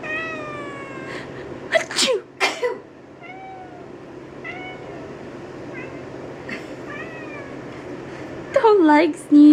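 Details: Crumpet, a two-year-old calico cat, howls in upset protest at a person's fake sneezes. Drawn-out harmonic wails, some sliding downward, come in spaced bursts amid loud repeated sneezing and spoken words indoors.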